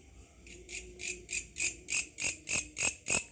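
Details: A grasshopper calling at night, at first taken for a cricket until its source was found: a regular series of high, metallic pulses, about three per second, each swelling and growing louder as the sequence builds, with little else around.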